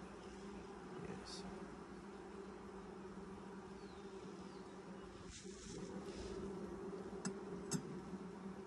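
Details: Steady, even droning of honey bees in a hive opened for its first inspection six days after nucs were installed, 2020; continuous low hum with a higher overtone, a few faint clicks and a soft distant bird note.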